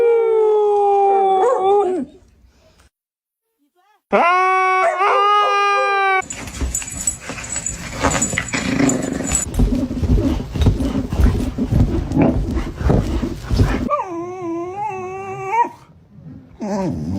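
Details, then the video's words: A pet dog waking its owner from a nap with loud, drawn-out howls that waver and bend in pitch. The bursts are separated by a silent gap and a long stretch of rustling noise, with human voices in between. "Dogs The Alarm Clock You Can't Snooze!"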